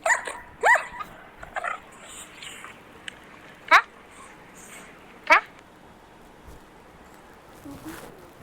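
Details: Naughty, bored dog refusing to give its paw during a shake-hands game: three short, sharp, rising barks spread irregularly over eight seconds, with soft rustling and faint high hiss between them.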